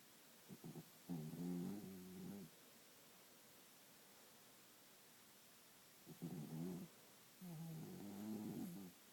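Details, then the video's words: Dog asleep and snoring, with long raspy, vibrating breaths of about a second or more, two main bouts separated by a quiet gap of several seconds. "My Dog Snores"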